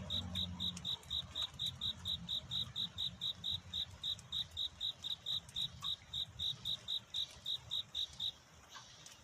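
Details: A cricket sings at night to find a mate, heard at dawn. Bright, high-pitched chirps repeat steadily about four times a second for over eight seconds, then stop. Faint low rumble sits underneath early on.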